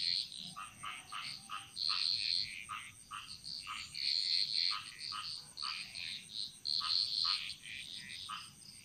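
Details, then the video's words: Frog chorus in a Bali jungle: many short, bright chirping calls overlapping in irregular bursts, some doubled clicks higher up, over a steady high insect-like whine. "Frog Mantras - Relaxing Sounds Of Bali"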